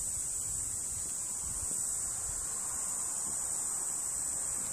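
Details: A Tibicina cicada at Monchique, Algarve, Portugal, in 2019 sings a continuous, high-pitched, even buzz with no breaks, over soft low wind rumble.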